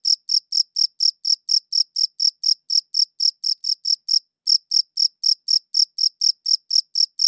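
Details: A cricket's high-pitched chirping, captured with a good audio recorder, is heard as a fast, even run of short pulsed chirps, roughly three per second. After a brief gap past the fourth second the chirping resumes over silence.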